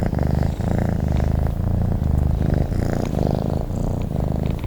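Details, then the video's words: Close, low purring from a sleeping cat, a rumbling vibration broken into regular breath phases under a second long, steady and unaccompanied. "Sleep and the sound of a cat purring"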